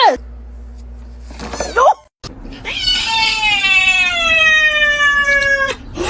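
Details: Pet cat in a cat-fighting compilation letting out one long, strained yowl of nearly three seconds that sags slightly in pitch toward its end, preceded by a short whining call, with faint background hum.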